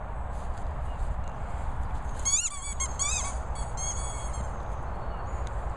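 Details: Staffordshire Bull Terrier Madussa mooching, giving a short cluster of thin, high, whistled squeaks over a steady low rumble.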